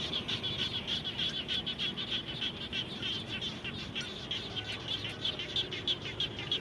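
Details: After rain, frogs around a home call in a steady chorus of sharp, high, clicking chirps, about three each second, rising and falling in loudness, with faint low hum beneath.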